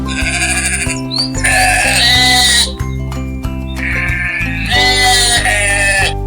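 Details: A sheep bleats twice, each a quavering, nasal call lasting over a second, separated by a short pause, while music plays steadily underneath.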